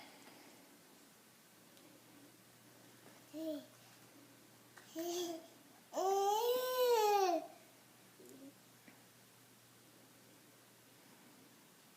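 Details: A small child babbles in short bursts, rising to a longer squealing, sing-song cry, in a quiet room.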